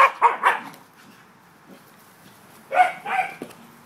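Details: Corgis playing outdoors on an October day, barking in short sharp bursts: three quick barks at the start, a pause, then two more barks near the end.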